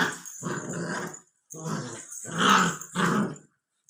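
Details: Growling from a 64-day-old Labrador Retriever puppy: a rasping, throaty rumble in two long stretches, the second rising to a louder, harsher peak before breaking off.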